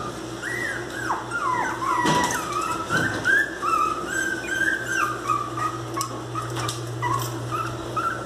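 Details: Crying Miniature Pinscher puppies give drawn-out whimpers, falling then rising, mixed with short yips and a few sharp knocks, over a constant low electrical hum.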